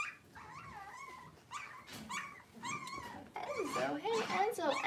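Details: Six-week-old blenheim Cavalier King Charles Spaniel puppies, a litter of five born on New Year's, in a home puppy pen. Wavering, whiny whimpers rise and fall in short bursts, then several overlapping cries build toward the end amid soft voices.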